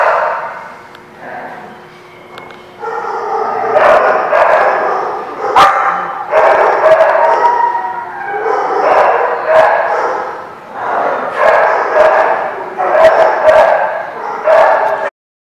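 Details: Dogs barking at a place called The Barking Lot, recorded 11 April 2016: dense overlapping barks from several dogs, loud and continuous with short gaps, sharp clicks and knocks mixed in.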